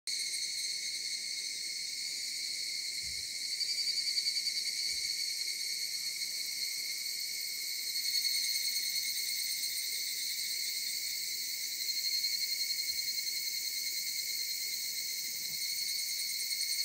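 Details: Cicadas heard from the mountains: a dense, unbroken chorus of high shrill buzzing in several steady layers, swelling slightly louder around four, eight and twelve seconds, with only faint low background rumble.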